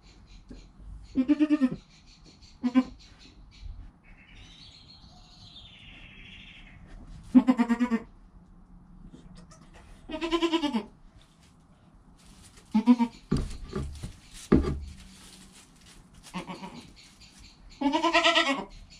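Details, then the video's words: Newborn goat kid named Joel, filmed on a GoPro within an hour of birth with its calm mother Penny nearby; several short wavering bleats at irregular intervals, some brief and clipped, separated by quiet rustling. "Baby Goat - One Hour Sound and Video"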